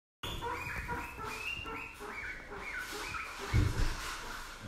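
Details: Happy guinea pig giving quick, tonal, chirping squeaks that rise and fall, repeated about four times per second, over a low background rumble, with a brief thump near the end.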